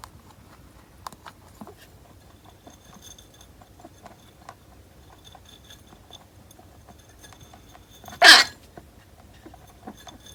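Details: A pet rabbit that often sneezes, and has been taken to the vet, gives a single sharp, breathy sneeze in an otherwise quiet room.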